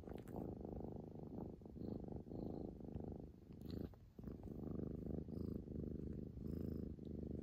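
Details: Female Scottish Fold named Hotate, a tomboyish cat who loves attention, purring on 11 February 2021. The loud, low throaty purr pulses with the breath and has a brief pause near the middle.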